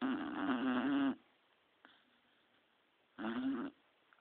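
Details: Three-year-old female Beagle Lady asleep, giving a loud rattling snore just over a second long, then quiet breathing, then a second shorter snort about two seconds later.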